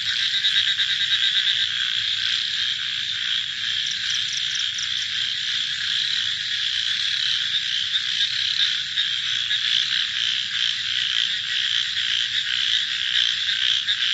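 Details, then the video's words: Frogs calling at night in a dense, steady high-pitched chorus, many voices blending into a continuous trilling wall of sound with faint low rumbling underneath. "Frog Night Sounds"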